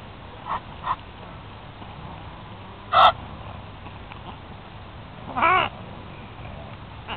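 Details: Several nutrias protesting as a big black male claims the oats while another is fed a carrot nearby; two short harsh calls stand out, plus fainter calls early on, over a steady background hum, with noisy geese also present.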